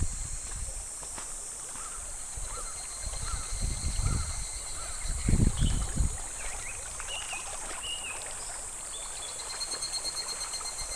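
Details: July cicadas drone steadily by a shallow, slow-flowing clear stream; the high, hissing tone stays constant while a series of short, faint rising chirps repeats through the middle, with low rumbling bursts around four to six seconds.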